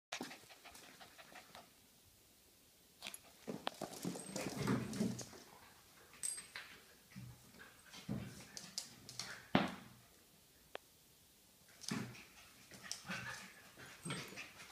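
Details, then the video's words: Jack Russell Terriers playing indoors, described as crazy, alongside a Lionhead rabbit; bursts of rough panting and snuffling with brief whimpers come in irregular clusters, separated by short quiet gaps, in a small room. "Crazy Jack Russell Terriers playing"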